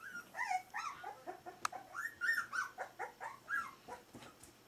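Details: Smooth-faced Pyrenean Shepherd puppies aged four weeks, giving a quick run of high, bending whimpers and short yips, roughly two or three per second, each rising then falling, with a single sharp click midway.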